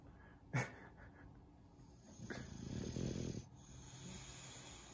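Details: Floyd the Bulldog snoring while sleeping at home after a long weekend of travel; a sharp click early, then a broad, low, rasping snore swelling for about a second, followed by quiet breathing and a steady faint background hum.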